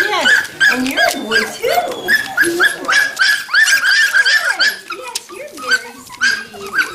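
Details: Standard Poodle puppies from two litters, five and three weeks old, near Columbia Falls, Montana, on November 22, 2013. They give high, rapid whimpers and squeaky yelps, with a woman's soft baby talk over them.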